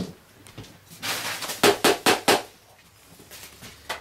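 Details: Sharp clattering knocks and bangs in a small indoor room, a run of four loud hits near the middle, with no animal voice.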